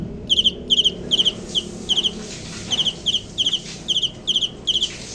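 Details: Cricket giving quick paired and tripled chirps, high trilled pulses about two per second, set against soft rumbling background noise.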